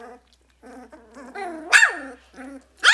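Two-week-old Vizsla puppies whine and squeal, their thin voices rising and falling in short bursts.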